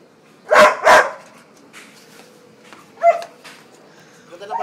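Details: Labrador Retriever gives a quick double bark, both loud and harsh, then a shorter, softer bark about two seconds later. Filipino speech and background music surround the barking.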